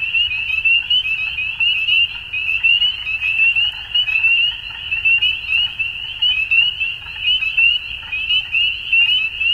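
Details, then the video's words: Frogs at dusk produce a thick, high trilling chorus, with pulses of louder calling surging roughly every second over a continuous background of overlapping voices. "Frogs At Dusk"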